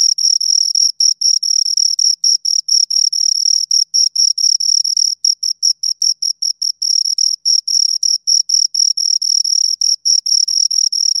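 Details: Two crickets producing dense, fast chirping, pulses running together with only brief gaps, a shrill high-pitched rasping trill that barely pauses, in otherwise total quiet.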